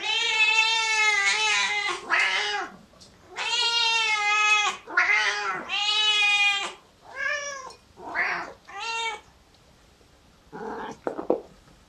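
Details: Several domestic cat meows, long, loud and harmonic, repeated about twice a second at first, then shorter, quieter mews trailing off toward the end.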